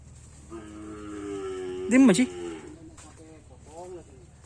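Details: Karapan sapi racing cattle on Sapudi Island, Indonesia, scouted as breeding stock: one long, steady, droning moo that swells into a louder arched peak near its end, followed by a quieter short call and faint voices.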